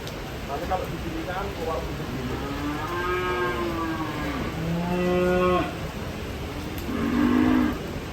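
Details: Cattle unloaded from a truck, jumping down: long, low moos that rise and then fall, one ending in a flat held tone, with a shorter moo near the end over constant background noise.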